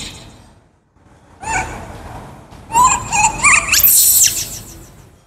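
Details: Kaka, a wild baby monkey hungry for fruit, screams after a quiet start: short harmonic cries build into a loud, shrill, rising scream near the end, then fade.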